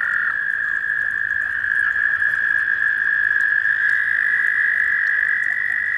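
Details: Several male American toads in Maryland, USA, in April give long, steady, high musical trills as they compete to mate with a female.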